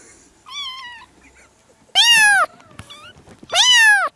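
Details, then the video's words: Seven kittens, 4 and 5 weeks old, from two sibling mother cats living in a yard, meowing all at once in June 2017; one thin wavering meow, then two loud rising-falling cries about a second and a half apart, with faint overlapping mews between. "Kittens meowing (too much cuteness) - All talking at the same time!"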